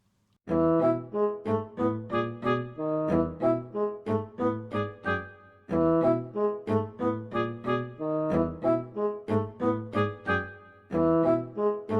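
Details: Brass music with trombone-like tones plays in rhythmic bursts throughout, with no animal voice heard.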